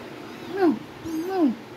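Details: Domestic cat giving two clear meows in quick succession, each rising then sliding downward with a bright, slightly nasal tone; a faint whistle-like sound and low background hum underneath.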